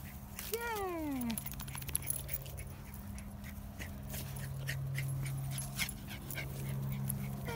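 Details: Female Jack Russell Terrier in a car gives one high whine that slides downward over about a second, over a steady low engine hum with clicks and a person's praise nearby.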